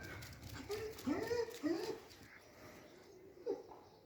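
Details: Two three-month-old German Shepherd puppies, a male and a female, give high whining whimpers that bend up and down. Three come close together in the first two seconds and another follows near 3.5 seconds, over human voices and room noise.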